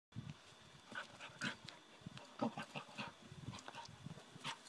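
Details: Otto, a 7-month-old Border Collie, waiting for a golf swing and then attacking the club in play; brief squeaky whines and snuffles amid scuffling thuds and clattering, with a faint steady hum behind.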